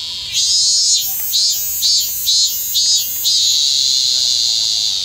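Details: A robust cicada in Kanagawa, Japan, still singing late in the season on 25 August, gives loud, shrill pulsing phrases that merge into a steady, high buzzing drone.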